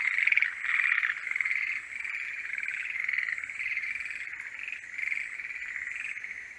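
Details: Many forest green tree frogs calling during the mating season, a steady churring chorus of fast pulsed croaks that rises and falls in uneven waves, loudest at the very start.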